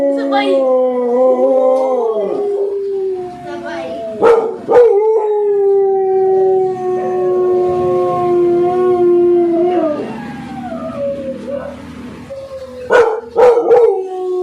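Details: American Pit Bull Terriers howling: long, sustained, slightly wavering tones overlapping through most of the recording, broken by sharp yelps and clicks, with a voice talking in the background.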